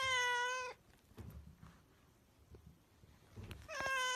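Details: Pet cat giving a steady, sustained meow at the start, then a quiet pause with faint shuffling, and a second meow that bends upward near the end.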